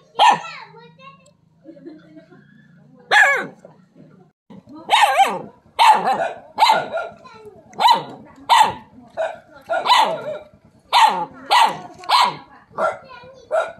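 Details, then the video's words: Dog barking at a non-venomous snake known locally as the frog snake. A steady run of loud, sharp barks, roughly one every half second to second, after a few scattered barks at the start. "Dog sounds, Dog barking snake"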